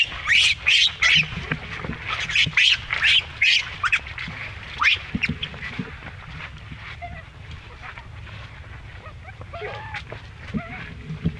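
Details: Young monkey mishandled by its mother gives a run of sharp, high screeches in quick succession for about five seconds, then fades to scattered softer squeaks and quiet low background noise.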